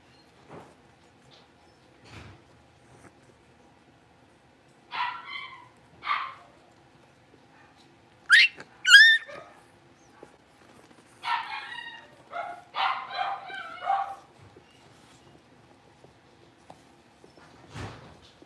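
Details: Five young Blenheim Cavalier King Charles Spaniel puppies in their home pen let out scattered bursts of sharp yips mixed with thin, high rising whines, separated by quiet gaps, with a few soft knocks in between.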